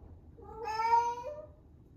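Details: Female rescue cat, eleven months old, in her first heat at its peak: one long, loud, drawn-out meow swelling in the middle and trailing off with a slight upward bend at the end, in quiet surroundings.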